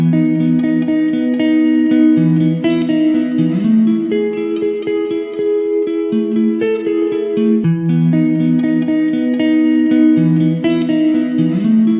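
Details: Plucked guitar music plays steadily throughout, with a repeating melodic line over a low bass pattern and no animal voice.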